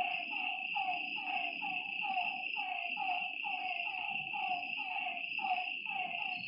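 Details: Frogs calling at night beside a lake: a steady series of short, downward-sliding croaks, roughly two per second, over a continuous high shrill drone of night insects.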